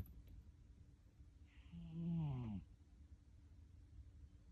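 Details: Snoring cat indoors: one drawn-out snore about a second long, a low droning tone with a raspy, wavering upper edge that swells and fades, set against quiet background hum.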